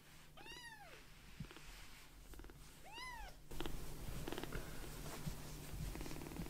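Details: Fostered light-brown rescue kitten, a baby cat, content on an open palm after a milk feeding: two high arched meows, then a steady, low, softly pulsing purr that rumbles on to the end, indoors.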